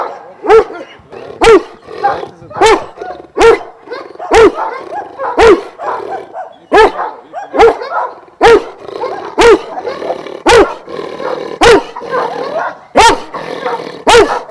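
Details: Barking from Šarplaninac dogs, Vujanski bloodline, at a breeding kennel of twelve in Jasika near Kruševac: a steady run of sharp, deep barks about once a second, with a busy backdrop of further dogs barking.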